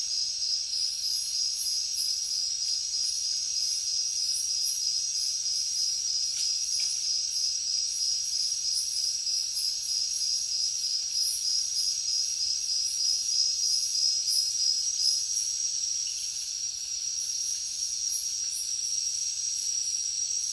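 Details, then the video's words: Crickets chirping in a dense, high-pitched, shimmering trill that pulses roughly three times per second and stays steady throughout, with faint higher rasping from other insects over a quiet background. "Crickets Nature Sound"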